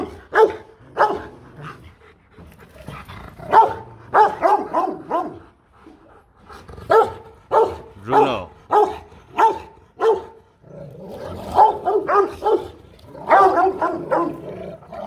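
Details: Aggressive Rottweiler warning off another dog with powerful barks, clustered in rapid uneven series of about ninety-eight per minute, some rougher and growly, with brief quiet gaps between groups.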